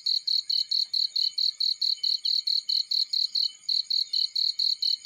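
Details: Cricket in a field, giving a steady run of bright, high chirps at about four or five per second, each pulse even and sharp, with a quiet background.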